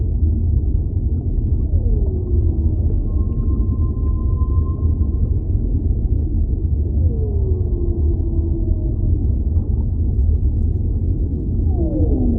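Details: Underwater whale calls: a long level high whistle, gliding downward moans and drawn-out falling tones, closing with a steep descending sweep, all over a dense continuous low ocean rumble.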